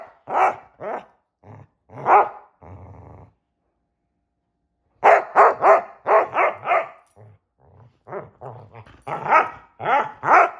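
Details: Playing hide and seek, the Basset Hounds Shelby and Roxy let out deep, rough barks in uneven volleys separated by a quiet gap, with a brief low growl in between.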